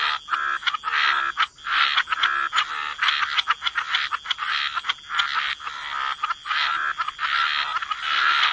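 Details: Dense chorus of croaking frogs in wetlands by the water, overlapping rasping calls merging into a nearly continuous, pulsing grating sound with only brief dips, a steady high tone faintly behind.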